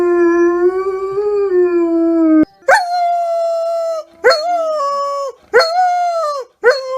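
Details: A dog holds one long, steady howl for over two seconds. It then gives three shorter howls, each starting with a sharp, rising yelp before levelling off, with brief silences between them.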